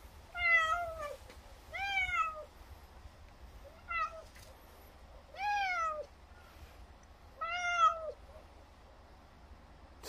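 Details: A weak, elderly or sick feral cat at a rural house, barely able to open its eyes, gives loud, drawn-out meows at regular intervals, desperately begging for more lick treats after finishing one.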